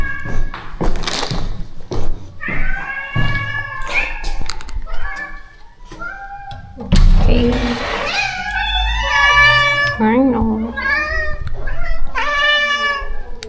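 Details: Rescue cats at a shelter colony being fed, more than thirty cats, with stray kittens nearby; several cats give repeated rising and falling meows with clear harmonics, overlapping one another, amid rustling, thumps and a person's voice.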